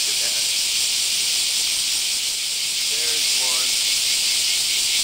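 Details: Japanese cicadas outside a home in Kansai, Japan, during a very hot summer, morning chorus: a steady, intense, high-pitched buzzing hiss throughout, with a man's voice briefly audible beneath it.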